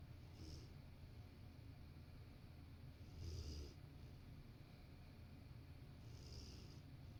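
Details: A Rottweiler napping on a sofa beside its owner, snoring softly: breathy, hissing snores come about every three seconds over a steady low indoor rumble.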